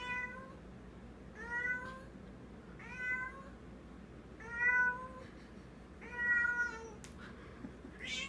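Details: Indoor female cat carrying a toy in her mouth and treating it as real, uttering a steady series of short bright meows about once a second, each arching slightly in pitch, with a brief click in between.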